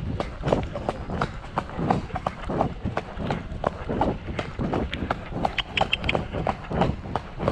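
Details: Shire horse De Goot Damon of Ostsee Shires, travelling on 2 May to pick up a new boarder in Falkendorf. Distinct clip-clop beats, roughly ninety a minute in an uneven rhythm, sound over a dull rumble with a few brief squeaks.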